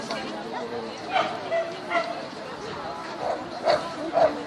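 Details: Border Collie Xcell barking at the Border Collie Classic 2016 agility competition: short, sharp barks spaced irregularly, in pairs and singles, over a steady hum of crowd chatter.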